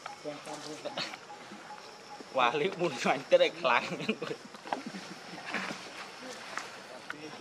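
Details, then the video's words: Hungry baby monkey Leo begs its mother for milk with a short burst of loud, quavering cries in the middle, preceded and followed by quieter, softer whimpers. "OMG ! Ve-ry P-itiful Cr-ying Lou-dly I Lo-vely Monkeys."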